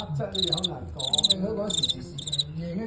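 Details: Fighting cricket in a live bout against a Guangxi champion, won narrowly: four clipped bursts of sharp, buzzy chirp pulses spaced about half a second apart, over steady Cantonese speech from a man.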